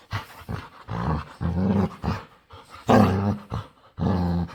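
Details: A playful dog begging to play: drawn-out, tonal groaning whines and moans in uneven bursts, some rising and wavering, like talking grumbles.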